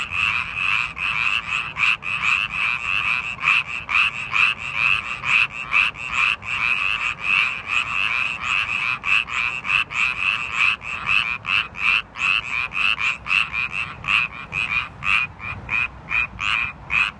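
A Japanese tree frog gives rapid, rasping notes, repeated in a steady pulsing series.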